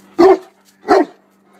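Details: Tosa Inu dog named Szogun while playing ball: two loud, short, gruff barks roughly 0.7 seconds apart, with a steady low electrical hum underneath.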